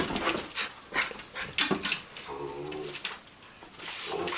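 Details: Two dogs indoors going after a stuffed duck on a TV stand: a brief nasal whine in the middle among bursts of breathy panting, snuffling and scrabbling noises.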